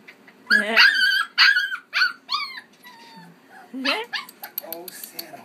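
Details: A 5.5-week-old Keeshond puppy, one of a litter with two sisters, playing and romping indoors in Baarlo on October 30; short high, harmonic yips and squeaks come in quick bursts, some rising then falling, mixed with a person's cooing voice.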